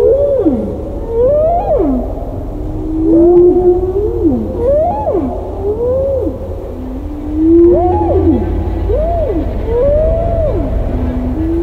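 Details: Roger Payne's unretouched humpback whale recording, as used in Hovhaness's 1970 symphonic poem. A steady run of looping, wailing units rises and then swoops down, each a second or two long, over sustained lower moans and a deep rumble.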